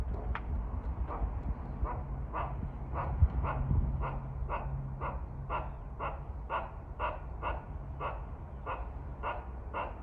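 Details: Squirrel at a shrine in Kawazu, Shizuoka, Japan, calling to threaten birds: short harsh barking notes repeated about twice a second, steady and slightly uneven, over a low rumbling background.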